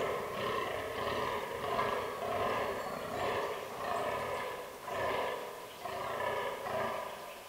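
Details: Autumn rut of fallow deer in a forest herd with albino and black bucks; rhythmic, deep, guttural groans in pulsing bursts about every second, strongly harmonic, with no other clear sounds.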